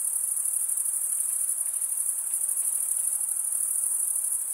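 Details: Crickets chirping by stridulation, males rubbing their wings together, form a continuous high-pitched ringing trill, even in loudness, with a faint low hiss underneath.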